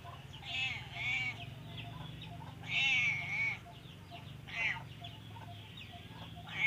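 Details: Sleepy cat that prefers to keep sleeping and seems sick, giving a series of drawn-out, wavering meows with rising-and-falling pitch, several in quick succession, over a low steady background hum.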